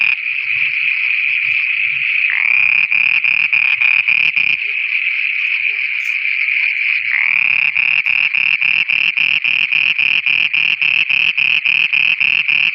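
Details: Frogs calling at night in Pakistan, a dense chorus of rapid, regular pulsed croaks repeated about three to four times per second, with a steady high ringing trill running underneath throughout.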